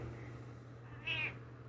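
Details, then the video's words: A short, bright meow from Dodger, a house cat answering its owner's imitation meows, rising then falling quickly over a constant low electrical hum. "Dodger loves to meow."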